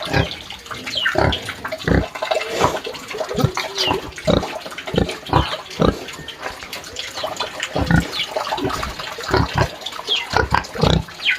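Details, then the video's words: Pig crying in a pigsty on a farm, giving a steady run of short, harsh grunts and snorts about every half second, with a few higher squealing notes mixed in and faint splashing or watery sounds in the background. "SOM de PORCO CHORANDO"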